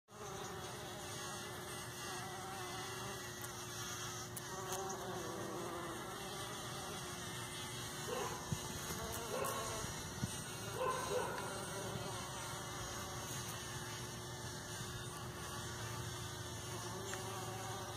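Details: Bumblebees, usually ten or more, buzz pollinating in a partridge pea patch on a morning: a steady, overlapping low drone like a chorus of dentist's drills, with occasional louder passes.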